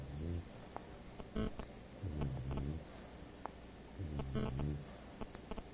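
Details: Apolo, an English Bulldog, snoring while asleep indoors: deep, rumbling low-pitched snores in slow cycles roughly every two seconds, each a drawn-out rattling breath, with faint room noise between them.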